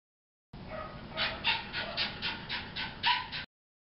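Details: Sookie, a lively Jack Russell Terrier at the Thunder Bay Veterinary Hospital, makes a short run of pulsing whines, some with a thin tonal edge, repeated several times a second.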